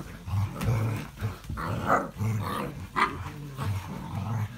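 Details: English Springer Spaniel recorded on 05.02.17, giving low, rumbling growls in repeated bursts, each under a second long, broken by brief pauses and a few sharper voiced accents near the middle.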